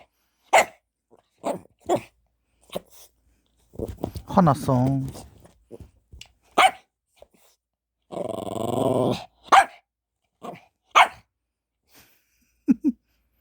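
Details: Dog waiting in front of a treat, giving low, rough growls around four seconds and again near eight seconds, with short human exclamations and speech between.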